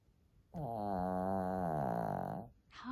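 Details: Lacey, a female Shih Tzu, snoring loudly while asleep: one long, droning snore of about two seconds with a buzzy, harmonic-rich tone that holds steady, then a brief vocal sound at the end.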